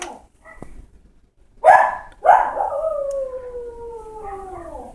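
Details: Dog left alone howling for its owner: a few soft whimpers, then two sharp bark-like onsets drawn out into a long, smooth howl that slowly slides downward over nearly three seconds; a person's voice follows.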